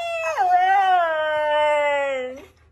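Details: Siberian Husky being dramatic, protesting about going outside: one long, steady, mournful howl that leaps up briefly at the start, then holds a level tone for about two seconds before dropping away, with a faint low hum underneath.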